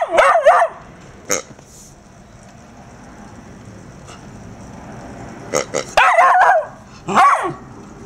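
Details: Murphy, a four-month-old female Irish Terrier puppy, terrorised by a pink, snorting, rubbery toy pig: a high yelping bark opens, a second and third yelp follow near the end, with sharp clicks and soft snorting pulses between.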